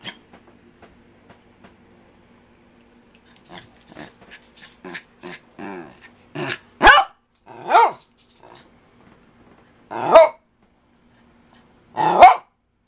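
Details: Kirby the pet dog keeps talking to his owner: soft muttering huffs build into four loud, spaced barks roughly two seconds apart, with a low background hum.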